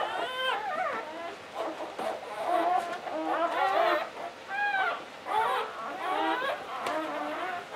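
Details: During the 2013 birth of her first litter of nine, English Springer Spaniel Latte whelps her seventh puppy; several short, bending whines and squeaky whimpers come in uneven bursts over a quiet room.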